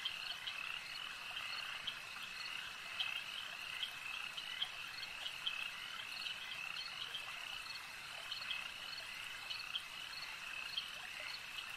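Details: Many frogs at a lake keep up an unbroken, high-pitched chorus, an even droning trill with short clicky croaks scattered irregularly on top.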